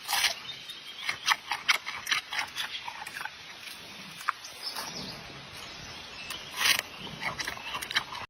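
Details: Giant panda feeding on bamboo: a steady run of crisp crackles and chewing clicks, rustling stalks, and a brief louder snap near the end, over a faint outdoor background.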